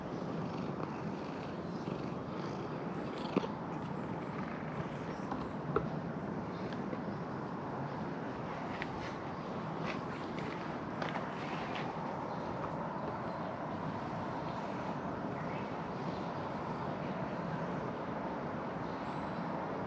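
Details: A black cat resembling a small bear relaxes belly-up on a tabletop, its continuous low purr rumbling evenly throughout, with a few faint clicks and light handling noises.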